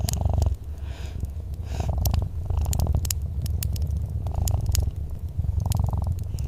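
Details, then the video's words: Relaxed domestic cat giving a soft, deep purr beside a warm fireplace, its rumbling drone pulsing steadily with each breath while sharp crackling wood snaps punctuate the background. "Soft Purring Cat"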